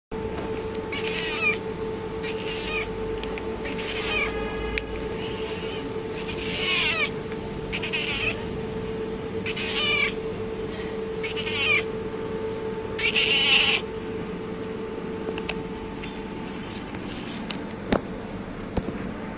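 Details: White street cat in Athens, Greece, being fed, giving a run of loud harmonic meows about one every one to one and a half seconds, some rising then falling, a few drawn out, over a steady electrical hum.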